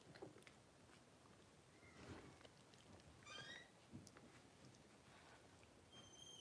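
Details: Blenheim Cavalier King Charles Spaniel puppies, a litter of five aged 12 days, born New Year's 2023, indoors; thin high squeaks and a brief rising, wavering whimper over soft rustling and shuffling.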